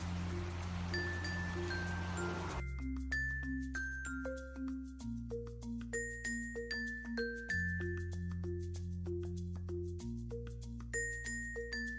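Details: Hiss and sustained notes give way to a cheerful xylophone and glockenspiel tune over a deep bass line; no animal sound is present.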